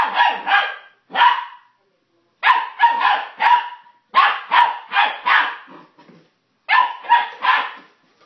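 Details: Barking from a puppy going wild over plastic bottles, with clusters of two to four quick, high, harmonic yaps and brief silent gaps between the bursts.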